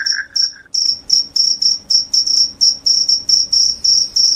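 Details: Loud cricket, said to repel rats and bring on sleepiness, giving clean high shrill chirps repeated roughly four times a second after a short low warbling note at the start.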